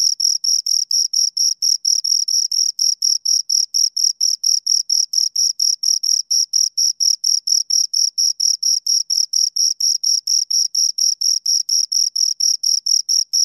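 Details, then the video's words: A pair of crickets giving an even, rhythmic series of short, piercing high chirps, about four per second, evenly spaced throughout; quiet background. "Two Crickets Chirp Sounds"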